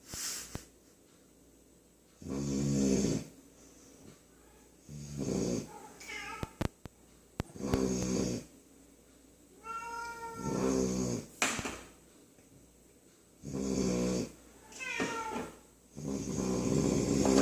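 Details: Loud snores from a sleeping puppy, rough rasping breaths repeating every two to three seconds, with short rising whiny squeaks slipped between some snores and a few sharp clicks, indoors.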